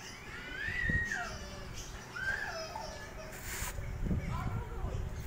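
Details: Kittens or cats meowing indoors: three rising-then-falling whiny meows spaced about a second and a half apart, the middle one short and bright, over low room rumble and faint background voices.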